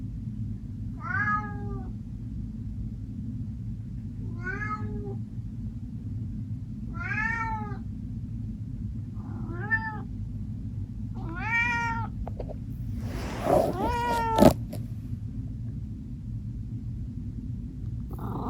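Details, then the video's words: Max, an orange tabby domestic shorthair cat adopted from the Los Angeles Animal Shelter, meows to wake its owner in the morning: six drawn-out, wavering meows about every two to three seconds, the last louder, over a steady low hum. "CAT'S MEOWING to Wake Up Mom"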